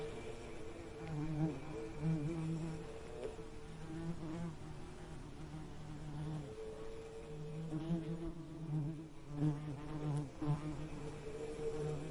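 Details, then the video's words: Continuous bee buzz with a deep layered hum, rising and dipping in pitch, loudest in bursts near the end. "Soothing Bee Buzzing Sound"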